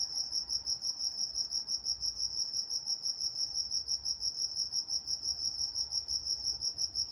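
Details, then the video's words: Crickets calling at night in Walnut, California, a continuous high-pitched pulsed chirping at an even rate of roughly three beats per second over a hushed background. "Nature Sounds Night Time Crickets in Walnut, California"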